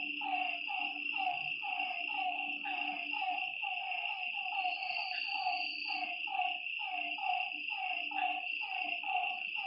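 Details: At a lake after dark, frogs repeat clipped, falling calls about once a second in an overlapping chorus, beneath a steady high insect whine and a low droning tone.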